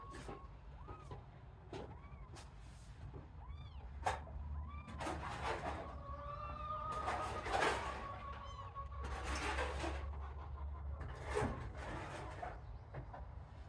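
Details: Kittens in a playpen shared with sheep, some breaking away from the sibling pile to explore, give repeated high, arched mews, several overlapping, with one long steady cry in the middle, amid bursts of rustling and a low background hum.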